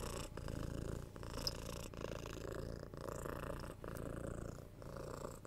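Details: Close recording of a domestic cat's purr: low, even, buzzing rumble pulsing with each breath roughly once per second, with a soft faint click early on.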